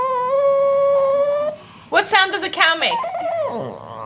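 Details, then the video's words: A female pet dog vocalising for her bone: a steady, sustained howl-like tone held for about a second and a half, then a person's lively talking takes over. "Dog makes funny sounds"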